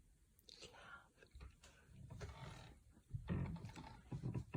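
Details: Female Labrador Retriever napping indoors, snoring heavily like a tractor: low rumbling, rattling breaths that swell and fade, growing louder and rougher toward the end, with brief soft rustles between them.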